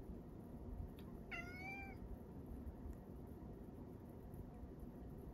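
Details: Male rescue cat living with an elderly woman, recorded indoors on the morning of Setsubun in 2022, giving a single short, level meow, faint against a loud steady background hiss and rumble.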